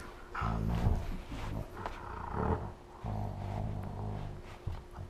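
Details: A Siberian husky and a malamute play fighting while lying on the floor give deep, rumbling growls in bursts with brief pauses, August 2014.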